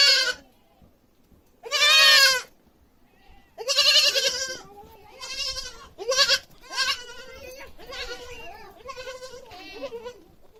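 A goat gives loud, wavering bleats, each a nasal, quavering baa lasting about a second.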